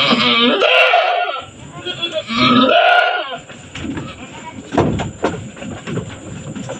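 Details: Doe goat giving birth on a goat farm, bearing two kids in quick succession; two long, wavering, nasal bleats in the first three seconds, then quieter rustling, clicks and human voices.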